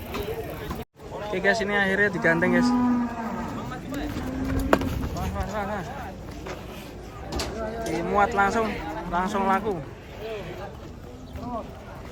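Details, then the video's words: Furious bull unloading from a truck, its horn snapped, lets out repeated hoarse moos in bursts, some rising and falling, over crowd murmur and handling noise. "SAPI NGAMUK TANDUK NYA SAMPE PATAH TURUN DARI TRUK KASIAN SEKALI"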